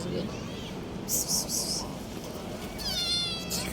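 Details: Small street kitten in a park gives a thin, high-pitched wavering meow near the end, preceded by hissy bursts and a steady noisy background, with people talking softly nearby.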